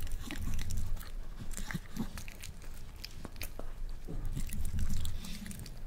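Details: First taste of boiled egg for a male Miniature Pinscher that eats one whole egg: dense, wet mouth clicks and smacking chews, busiest near the start and again toward the end, over low rumble.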